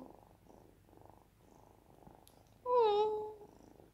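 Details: Five-month-old tuxedo kitten, a rescued, affectionate cat up for adoption, purring in steady pulsing bursts indoors, then giving one clear drawn-out meow that falls slightly in pitch before the purring resumes.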